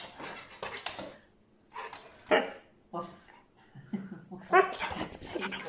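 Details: A brown male Siberian Husky complains in rising, wavering whines and short yowls because he wants to go outside again.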